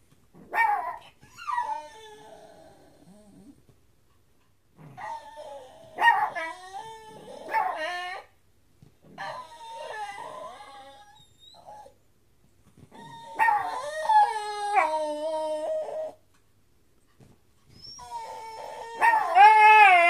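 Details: Pet dog that normally never barks, vocalizing at night toward another dog, a blue heeler. Bursts of tonal, wavering howl-like yowls with rising and falling pitch, separated by short pauses, plus a few brief yips.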